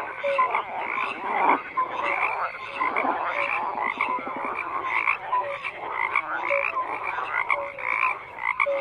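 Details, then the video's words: Frogs croak in a crowded, unbroken chorus, with pulsed rattling bursts and short tonal notes repeating throughout, many callers overlapping and no other sounds clearly heard. "FROGS CROAKING"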